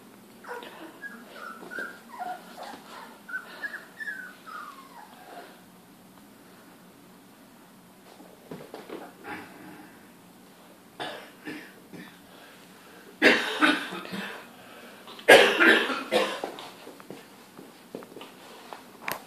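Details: Three female Labrador Retriever puppies, about 3 weeks old and just beginning to walk, give thin, high whimpers and squeaks, with a few louder yelps near the end.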